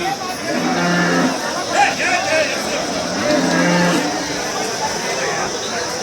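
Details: Cattle at the Haveri cattle market, held every Thursday morning; two low, steady moos of under a second each, a few seconds apart, over a busy crowd with people talking.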